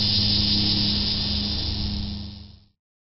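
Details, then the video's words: First annual cicada call of the 2008 summer, heard 18 July. A loud, hissing buzz runs steadily, then tapers and stops near the end, with a faint low hum beneath. "First Annual Cicada Call"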